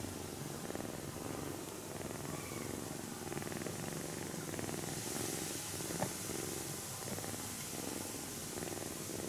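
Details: Kitten touched during its afternoon nap without being woken, purring continuously with a rhythmic low throb in even pulses, over a faint hissing room background and a brief tap near the end.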